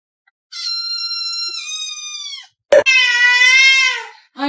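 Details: Domestic cat giving long, drawn-out meows: a steady, high, flat-pitched cry, a brief sharp noise, then a lower, fuller wail that slowly falls away, while its owner apologises to it.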